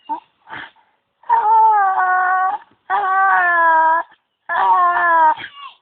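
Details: Zeus the dog making strange noises at a tree: three long, steady, cry-like whines, each held about a second with a rich, slightly falling tone, separated by brief pauses and a few faint squeaks.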